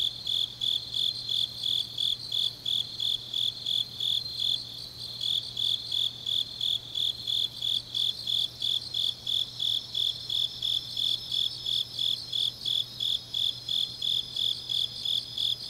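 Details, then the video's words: Deep-night autumn chorus of grass insects in Changnyeong, Korea: a rapid, regular high chirping near three pulses a second overlaid by a continuous thin trill from other insects, with a soft low hum in the background. "깊은밤 가을 풀벌레 소리"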